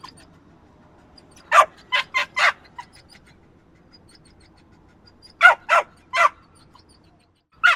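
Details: Yappy little dog lets out bursts of three or four quick, high barks, separated by several seconds of near silence.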